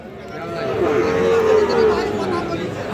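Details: Sahiwal cattle at the Aftabganj cattle market on a Tuesday, 5 August 2025. One steady, drawn-out moo rises and then falls over about a second, with crowd chatter and a man talking.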